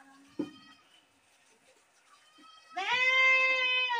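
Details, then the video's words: Goat scream arriving late as one long, loud, sustained bleat with a strong harmonic stack, preceded by a short click and a faint thin tonal call. "Best goat sound in the world | goat sound | goat sounds | goat screaming"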